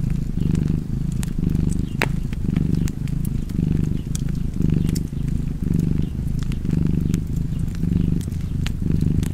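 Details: Cozy cat purr, a deep rumbling drone rising and falling about once a second with each breath, punctuated by faint crackling clicks from a fire.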